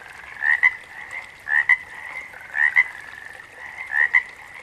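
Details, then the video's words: A frog calling about once a second, each call a quick rising note followed by a sharp clicking note, with a steady chorus of other frogs humming behind. "Frogs - Nature Sounds"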